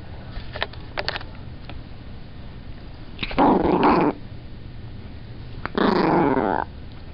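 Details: Chihuahua picked up while trying to sleep growls in two rough, throaty bursts, each under a second and about two seconds apart, with faint clicks and handling noise indoors between them.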